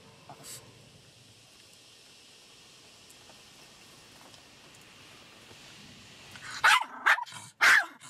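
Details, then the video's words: Shih Tzu Sarah, a pet dog upset by a car wash, gives three loud sharp barks in quick succession near the end after a long stretch of steady mechanical washing noise. "SHIHTZU SARAH HATES CAR WASH"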